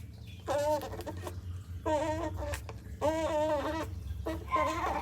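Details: Baby otter making loud calls while drinking cat's milk: harmonic, wavering squeals of about half a second, repeated irregularly with short pauses, over a low steady background hum.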